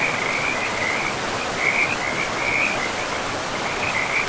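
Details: By a forest river, frogs give short, high, pulsed trills in quick succession, spaced under a second apart, against a dense backdrop of rushing river water.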